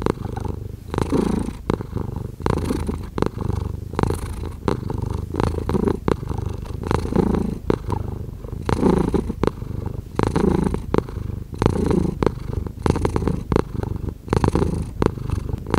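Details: House cat purring steadily for a long stretch, low throbbing rumble rising and falling with each breath, peppered with many brief crackling and rustling noises.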